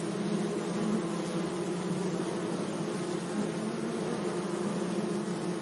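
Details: Bees hum around flowers in a sunny meadow, giving a low droning buzz with a clear overtone above it. Brief brighter notes flicker through as individual insects pass close, over a soft background hiss.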